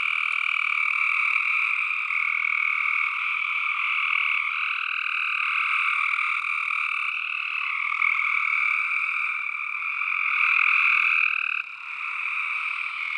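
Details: Chorus of tree frogs: countless croaks blend into one sustained, shrill, even hum in two bright pitch bands, steady throughout with a short drop near the end.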